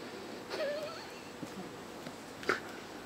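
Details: Five six-week-old kittens playing and fighting indoors; one short, thin, slightly wavering mew near the start, then a faint squeak and a soft knock in a quiet room.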